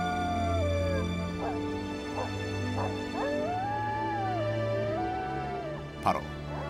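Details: A coyote in Yellowstone howls in long, wavering, sliding tones broken by short rising yips, over background music.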